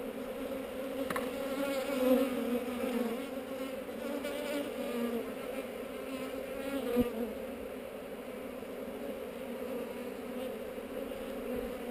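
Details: A honey bee colony drones continuously during a GoPro-filmed inspection of a hive on heather. The buzz swells and wavers in loudness, with a faint higher whine over it and one soft knock.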